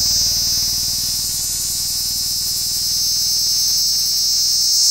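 An insect gives a steady, shrill, high-pitched buzz that drones on without a break.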